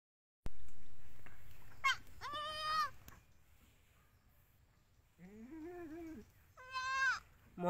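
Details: Newborn Indian goat kid bleating: three nasal, wavering cries with stacked harmonics, the first two close together near the start and a longer falling-then-rising bleat later, over a steady low rumble of background noise.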